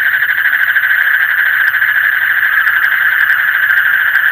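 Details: Frogs calling deep in the night, many voices blending into a loud, throbbing, trill-like drone at a constant mid pitch, with faint high ticks scattered through.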